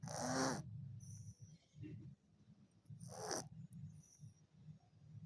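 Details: Ginger cat asleep and snoring, giving harsh airy snorts about three seconds apart, with a soft continuous low rumble between breaths.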